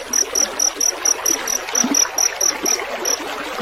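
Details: Field cricket (jangkrik sawah) recorded for songbird mastering: rapid high, thin chirps repeated about twice a second, steady and even, over a continuous bed of trickling water.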